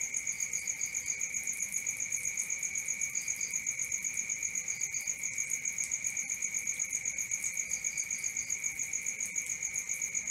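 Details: Crickets calling at night, fast steady chirps at roughly four per second forming a continuous shrill drone, with occasional quick groups of three higher notes from another insect.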